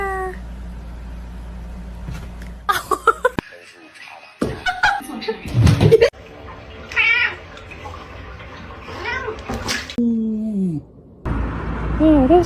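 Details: Domestic cat meowing indoors: several short, drawn-out meows that bend downward, with one longer falling wail near the end, mixed with human talking and a steady low background hum.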